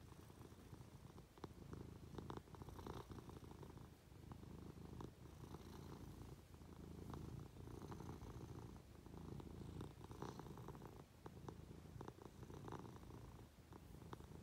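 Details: Purring Munchkin cat snuggling up to its owner in bed, a deep continuous rumble rising and falling with each breath, accompanied by light rustles of movement on the bedding.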